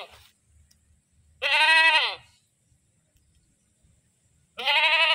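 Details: Screaming goat giving two loud, strained bleats, the first drawn out nearly a second with a wavering, harmonic-rich tone, the second starting at the end; quiet shuffling in the pauses.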